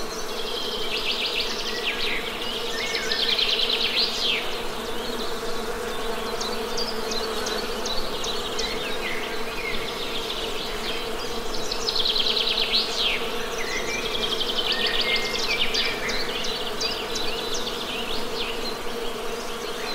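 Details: Honey bee buzzing forms a steady, unbroken hum. Over it, birds give repeated bursts of rapid chirping, loudest at two points, with softer scattered calls between.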